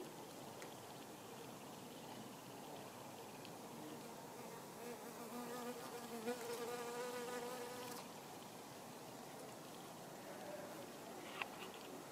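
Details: Buff-tailed bumblebee foraging on rose mallow, a hibiscus flower; a steady low buzzing drone with clear harmonic bands strengthens from about six to eight seconds as the bee hovers nearby, over a constant hiss of background noise and occasional small clicks.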